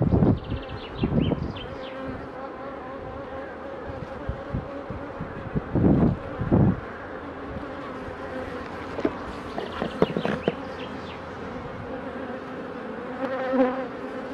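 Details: Beekeeping work on queen honey bees under pre-narcosis before instrumental insemination: a constant droning buzz broken by several loud, dull thumps and knocks from handling.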